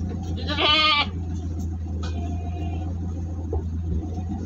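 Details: A big goat in transit at Singosari, Malang, lets out one short, tremulous bleat. A much fainter bleat follows, set against a continuous deep motor hum.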